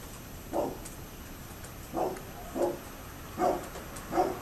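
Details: Neighbour's dog barking, recorded 27 October 2011: five short, somewhat muffled barks at uneven intervals of roughly half a second to one and a half seconds, over steady background hiss.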